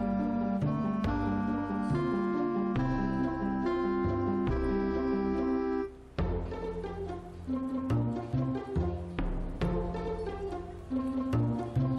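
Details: Orchestral music with timpani, plucked strings and brass plays throughout, with a short pause near the middle and no animal sound.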